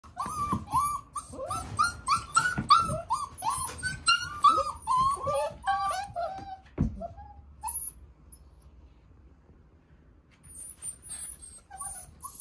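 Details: Male Border Collie puppy with handsome markings, indoors, whimpering in a rapid run of high, arching whines, several per second for about seven seconds, then quiet with a few faint squeaks and soft rustling near the end.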